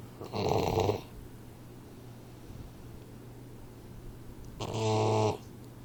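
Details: Troy, a Boxer puppy four months old, asleep and snoring. Two long, rattling, nasal snores are separated by about four seconds of soft breathing, with a steady low hum in the background.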